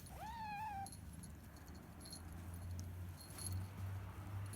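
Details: Three-month-old rescued kittens, a brown male and a grey female, calling from their cage each morning to be let out; one meow rises sharply then falls and fades within the first second, followed by a low steady background hum.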